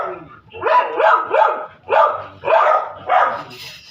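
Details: Dogs barking noisily while people eat a meal: six sharp, mid-pitched barks in quick succession, about two every second, each one rising slightly then falling, with little else in the background.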